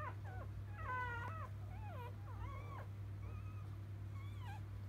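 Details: Just-born Labrador Retriever puppies from a field line, dam Biscuit, give clear harmonic whines: one long quavering squeal, then several short rising and dipping yelps, with a low steady hum behind them.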